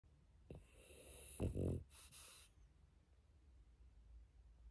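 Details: Pet dog sleeping after a walk, snoring: a short breathy inhale, then a brief low rattling snore around 1.5 seconds, followed by a hissy exhale; quiet room otherwise.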